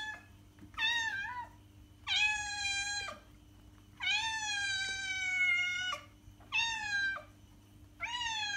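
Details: {'text': 'Repeated loud cat meows, five in total, long and tonal with rich harmonics, the longest nearly two seconds and slightly wavering, separated by short pauses; low hum in the background. Sound intended to lure cats.'}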